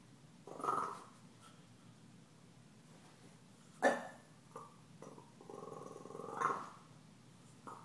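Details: Teased by the deaf cat Gomez, young dog Stella lets out a brief growl, then one sharp, loud bark near the middle, followed by a longer low grumbling growl and another short yelp.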